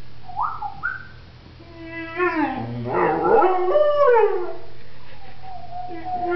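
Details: Pointer dog singing on command as its owner urges it to sing: short rising whine notes, then a wavering harmonic howl that swoops up and down, with the owner's voice around it.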